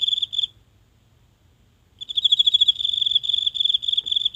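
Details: Lone insect in a small garden's grass at night, recorded near with a phone: a brief high pulsed trill, then a pause of about a second and a half, then a longer rapid chirping run; otherwise quiet.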